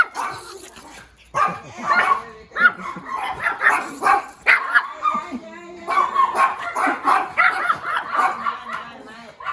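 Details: Small puppy barking: dense bursts of high yips and barks, some overlapping, with a brief pause near the start and another near the middle, then rapid barking resumes.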